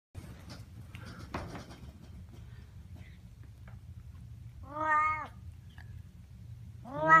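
A Siamese cat gives two loud, drawn-out meows, each rising then falling, a couple of seconds apart.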